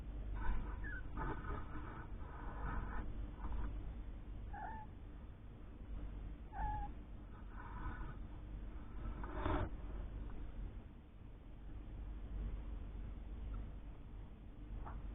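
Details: Young kittens, three weeks old, with their mother Lucy, a rescued cat once living under a caravan; repeated high mews in bursts, several short calls through the first ten seconds, with a constant low background rumble.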